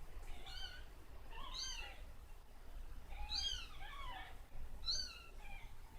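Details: Kittens mewing after drinking formula while having their backs patted to burp them; several high, wavering mews with arched, harmonic-rich shapes, about four calls spread over six seconds, over a low indoor rumble.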